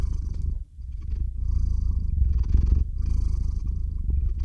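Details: Theo, a domestic cat, purrs into a RODE NTG-3 microphone recorded on a Zoom H6 while drifting off to sleep: a continuous low, throbbing rumble with one brief dip early on.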